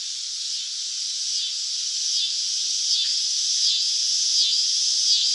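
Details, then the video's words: Summer cicada buzzing: a high, dense trill broken by brief dips roughly every two-thirds of a second, growing a little louder toward the end. "Cicada Sound Effects | Summer Nature Sounds - Sounds From the Cicada"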